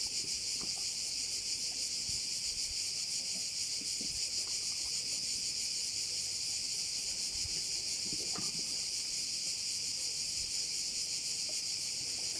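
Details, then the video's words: Crickets on Korčula, Croatia, heard over a bay: a constant piercing high-pitched drone with a slight rapid flutter, plus occasional soft low knocks. "view of one of the bays in Korcula with sounds of crickets"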